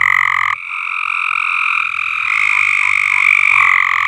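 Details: Frogs call in a dense, continuous chorus of high, pulsing trills from an above-ground swimming pool that was not cleaned out, on a farm.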